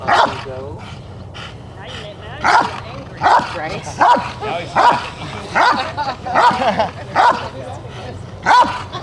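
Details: The Rottweiler Jefe von Tonatiuh gives repeated powerful barks during the IGP3 protection work of a 2021 DVG America qualifying trial, the barks coming close together about every 0.8 seconds after a brief quieter opening, with background murmur.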